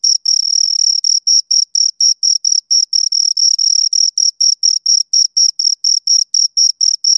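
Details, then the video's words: Two crickets chirping: a steady run of short, high, pulsed chirps with a bright overtone above, about two per second, with brief silent gaps between, nothing else heard. "Two Crickets Chirp Sounds"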